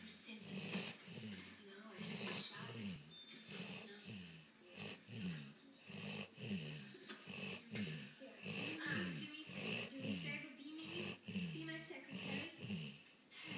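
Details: Dreaming dog snoring steadily, a low rasping snore repeated about every second and a quarter, with brief breathy wheezes and a quiet room behind.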